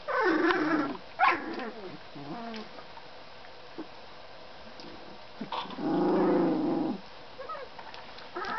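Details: Hungarian Vizsla puppies: squeaky yips and growls early on, then a long, sustained whine of about a second and a half, followed by faint short squeaks.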